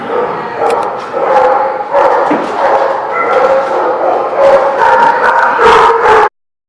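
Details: Several dogs barking and yipping at once in a lot: a continuous jumble of overlapping barks with whiny tonal notes, ending abruptly.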